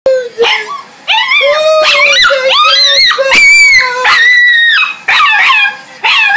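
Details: Dogs chasing each other around in play, giving loud, high whining howls and yips in overlapping bursts, the tones bending up and down, with brief pauses between volleys.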